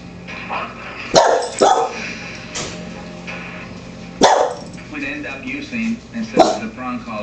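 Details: Maggie, a pet Wheaten Terrier, barks while watching the Dog Whisperer, Cesar Millan, on TV at home. There are four sharp, loud barks: two close together early, then two single barks spaced seconds apart. TV speech and music run underneath.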